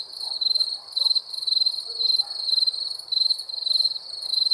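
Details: Crickets calling at night: rapid trilled chirps in bursts close to two per second, a ringing high tone with a thin upper band, faint low murmurs beneath.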